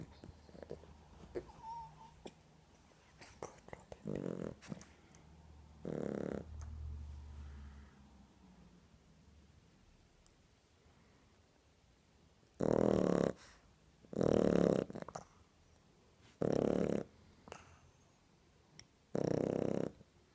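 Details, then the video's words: Two-month-old Shar Pei puppy snoring in the middle of a nap; rasping, breathy snorts come in short bursts, sparse at first, then repeated about every two seconds in the second half, with a quiet room between. "Mon bb shar pei qui ronfle"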